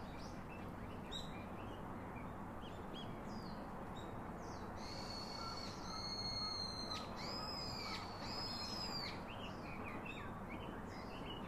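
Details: Young monkey calling to its father for a comforting hug: after a quiet start, a cluster of piercing, tonal, slightly wavering whines with rich overtones arrives midway, trailing into faint scattered cries over steady ambient rumble.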